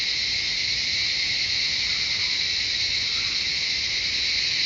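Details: Chorus of cicadas in forest at Shivapuri Nagarjun National Park on the edge of Kathmandu, Nepal: an unbroken, shrill, hissing buzz at high pitch, constant in loudness throughout.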